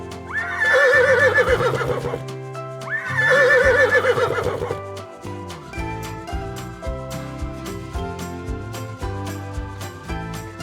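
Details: Horse neighing, taught in a children's English and Hindi animal sounds lesson: two long, shaky whinnies in the first five seconds over steady background music, then music alone.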